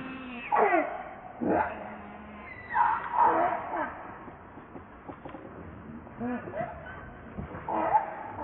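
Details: Hungry baby monkey Leo wailing for its mother's milk, giving sharp falling screams and moaning cries in uneven bursts with quieter pauses between them.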